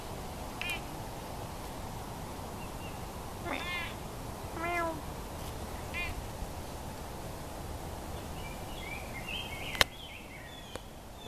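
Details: Domestic cat giving three short, tonal meows in a loose series mid-clip, each a brief falling-and-rising cry, over a steady broadband hiss, with a sharp click near the end.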